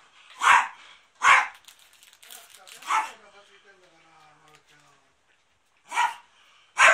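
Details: Pet dog barking indoors at its owner's family home on 13 March 2019, during a big cleanup as the house became a drama filming location; sharp barks come in quick pairs, then a pause, then two more, with faint household noise between.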